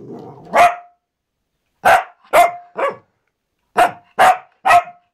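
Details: Pet Cavalier King Charles Spaniel barking: seven sharp, bright barks in uneven bursts, two close together, then a pause and three more in quick succession, after a brief low rumbling noise at the start.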